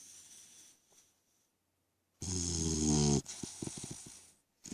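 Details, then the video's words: Three-month-old French Mastiff/Pitbull mix puppy named Koda snores: one strong, harsh inhaled snore of about a second with a low buzzing core, followed by softer, breathy exhales and brief quiet gaps. "French Mastiff/Pitbull Snoring"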